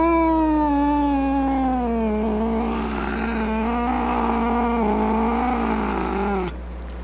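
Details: Grumpy cat giving one long, low moaning yowl that slowly sinks and wavers for about six seconds, then cuts off abruptly, leaving steady background hum.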